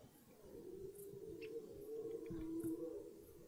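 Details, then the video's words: Red deer at the start of the rut, in woodland: one long, steady, moaning roar held for several seconds, slowly growing louder, with little other sound around it. "Die Hirschbrunft beginnt"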